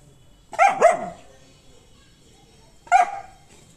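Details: A female German Shepherd meeting other animals gives a quick double bark, then a single sharp bark after a short pause.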